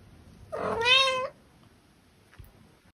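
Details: A tom cat gives a single loud meow lasting under a second, rich and slightly rising before falling away. A faint click follows in an otherwise quiet setting.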